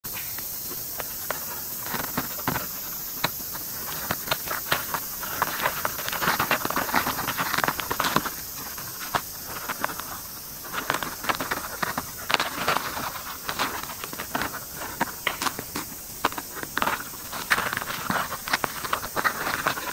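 Close, dry scratching and ticking clicks from white-spotted longicorn beetles during mating.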